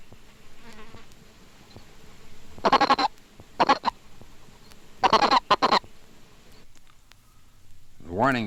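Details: A Colorado River toad (Bufo alvarius) sounds its warning note when seized, short throaty clucking calls given singly and in quick pairs.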